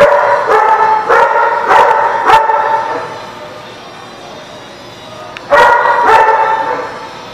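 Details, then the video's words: Dog at The Barking Lot, dated 7/1/17, giving rapid, ringing barks about every half second for two seconds, falling quiet, then breaking into another fast run of sustained, tonal barks. "The Barking Lot"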